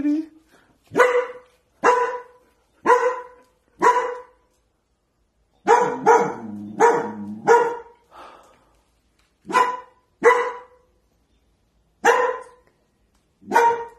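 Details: A frightened, protective dog barks in a kitchen toward an empty corner, a day after its companion dog passed away; loud single barks about once a second, a tight cluster midway, and a faint human voice underneath.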